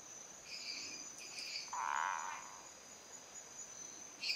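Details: Territorial call of a male Boana multifasciata at Viçosa do Ceará, Brazil, given when another male comes near, with small paw movements. One harsh, buzzy note of almost a second dominates; high, thin Dendropsophus minutus chirps sound before and after.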